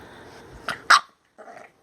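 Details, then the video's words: Female pet bulldog indoors, upset and throwing a temper tantrum over a new shirt she is wearing: two sharp, abrupt bark-like bursts in quick succession, then a short, softer, grumbling whine, with a low room hum. ""Minka the Bulldog" throwing a temper tantrum"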